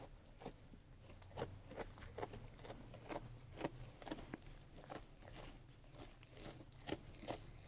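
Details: Sheep eating food, a close series of crisp crunching bites and chewing, roughly one to two per second, over a low steady indoor hum.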